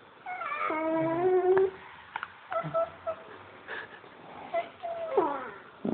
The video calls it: Basset hound puppy makes cute baby noises.3gp